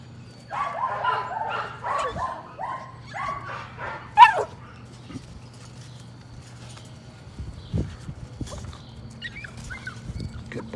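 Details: Patterdale Terrier puppies from a litter working rats in their puppy pen one evening, with a little black female among them, give a quick run of high, excited yaps and yips, then a louder sharp bark, fading into scattered softer yelps.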